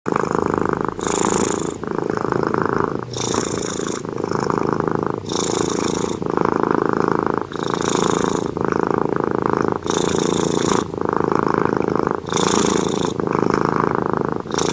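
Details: Domestic cat asleep and snoring: a steady rasping breath sound with a broad low band, broken about every second by short hissing bursts of higher noise, repeated evenly through the clip.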